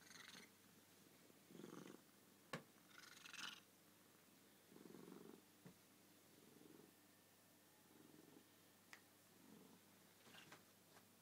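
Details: Suki, a pet cat, purring at bedtime in the same place every night, where a black cat also joins. Soft, low rumbling purr bouts come roughly every one to two seconds, with a few faint clicks between them in a quiet room.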